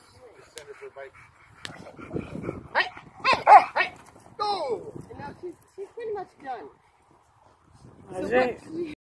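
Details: A Rottweiler gives deep, rough barks in quick irregular bursts during a protection training session, mixed with a handler's commands such as "take it".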